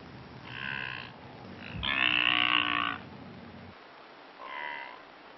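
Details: Blue wildebeest, also called brindled gnu, in Kruger National Park, South Africa: nasal, honking calls in short bursts, a louder drawn-out one in the middle, with a faint low hum beneath.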